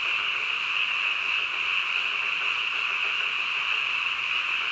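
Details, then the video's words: A massed nighttime frog chorus recorded at midnight, many voices calling at once in a continuous high, slightly pulsing hum with steady loudness and no other distinct sounds. "한밤중 개구리 울음소리"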